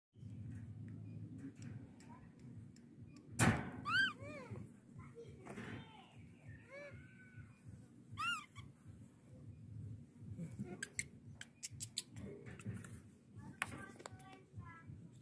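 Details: Baby monkey drinking milk gives a few short, rising-and-falling squeaky cries in two bursts, set against steady low hum, soft clicks, sucking noises and one sharp knock indoors.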